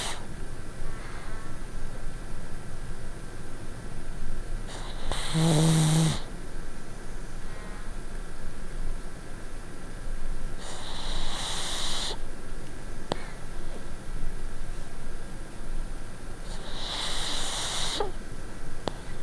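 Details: Pugs snoring at night while sleeping on a bed with a winter pad; broadband breathy snore bursts recur about every six seconds, each a rasping inhale, over a steady low hum.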